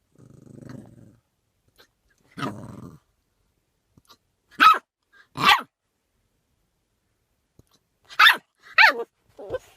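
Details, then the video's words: Puppy with hiccups trying to bark them away indoors: low rough growl-like sounds early, then short sharp high yips around four to five seconds and again near eight to nine seconds, separated by silence. "This Puppy Has the Cutest Hiccups and Tries to Bark Them Away"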